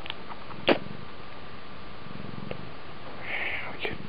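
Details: Oriental cat purring while scratching a hand indoors, a low steady rumbling purr with soft pulsing texture throughout, broken by a brief sharp click or tap and faint rustling.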